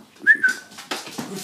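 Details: Huntaway dog indoors reacting to a whoopie cushion: a brief high, thin whine that holds steady then dips slightly, followed by muffled thumps and rustling.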